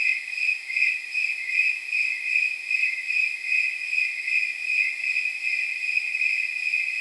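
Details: Night chorus of snowy tree crickets, the temperature crickets, on an evening near 79 degrees. High, tinkling chirps like jingle bells rise and fall in regular, pulsing repeats against an otherwise quiet background.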